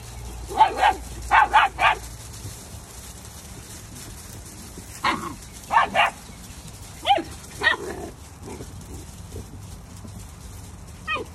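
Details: Labradoodle puppies giving short, sharp yips and barks, three quick ones at the start, then scattered single and paired yaps, over a steady background hiss and low hum.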